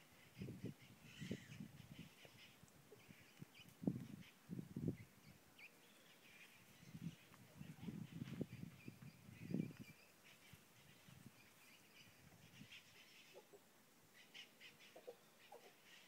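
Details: Howler monkeys at San Juan del Sur: deep, rough grunting roars come in bursts of a second or so, roughly every one to two seconds, fading after ten seconds, while birds chirp higher up in the background.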